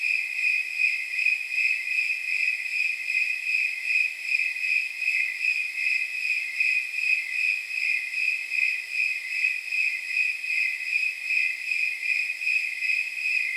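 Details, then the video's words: Snowy tree crickets at night, around 79 degrees by chirp count, pulse out steady jingle-like chirps, about two and a half per second, high and bright over a quiet background. "Snowy Tree Crickets 10 Hour Sleep Sound"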